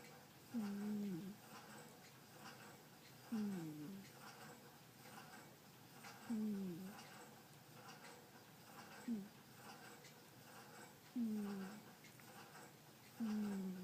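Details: Domestic cat Butterfly asleep and snoring: six low, whistling snore breaths, each about half a second with a short downward bend, repeating roughly every two to three seconds in a quiet indoor room.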